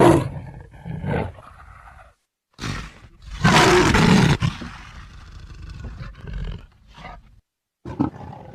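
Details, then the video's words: Leopard roaring: loud, harsh, broadband bursts with rough, grunting texture, the strongest lasting about a second, separated by brief near-silent gaps and followed by quieter rasping breaths. "Verso leopardo / Leopard geräusch / Leopard roar sound effect / Leopard brüllt"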